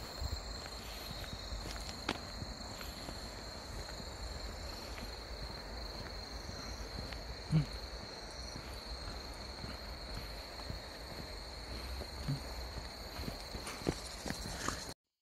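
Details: Late-September grass insect chorus beside the Deudeul River, Nampyeong: an unbroken high buzzing hum over a low rumble of background noise, with occasional faint ticks and knocks.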